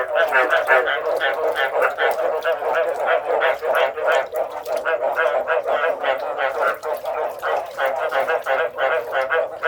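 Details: Many frogs croak in a steady, crowded chorus, harsh pulsed notes tumbling over one another roughly three times a second, loud and continuous throughout.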